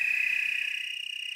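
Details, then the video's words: Willamette Valley, Oregon tree crickets in chorus, a brief continuous high-pitched trill, shrill and level, with a slight pulsing flutter in loudness. "Tree cricket chorus"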